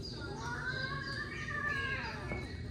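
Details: Domestic cat Zoey, an adoptable resident of a cat cafe in Greensburg, upset on first arriving in the room: one long, drawn-out wavering yowl that swells and sags in pitch, over a steady low room hum with soft human murmuring nearby.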